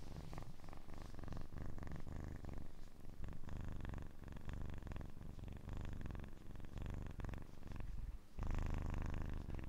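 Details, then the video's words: Continuous purring from a kitten: a low, fast-beating rumble that wavers gently and then jumps noticeably louder and fuller near the end. "АСМР 60 Минут Мурчания / ASMR Kitten Mouth Sounds / Purring"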